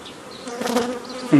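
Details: Honey bees handled on 15 May 2018 while nucleus colonies are formed the old way from a previously made forager swarm; a low droning hum swells midway, then a single bee buzzes loudly and close at the very end.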